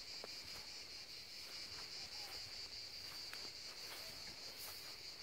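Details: Cicadas chanting near the sea, a constant piercing high drone with slight pulsing texture and a few faint clicks in the background.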